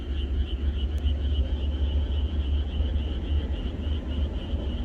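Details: A countryside frog chorus on a night before rain: steady, pulsing high-pitched croaking from many frogs at once, with a deep continuous hum beneath and a single brief click.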